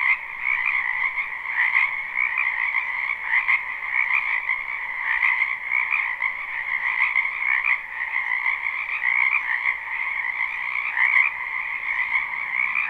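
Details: Live spring recording of frogs in a backyard wetland: continuous layered croaking chorus, buzzy and trilled, with louder pulses standing out irregularly about every two seconds over the steady drone.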